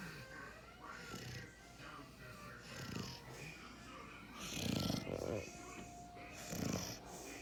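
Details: Puppy fast asleep, giving soft, low, breathy snores. About three snorts land in the last half, a couple of seconds apart, with faint background noise throughout.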